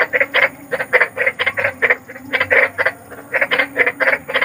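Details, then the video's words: Big frog croaking outdoors at night, short rasping pulses about four or five per second, some louder and some softer, suggesting more than one caller. "SUARA KODOK || KODOK BESAR || SUARA KODOK SERAM"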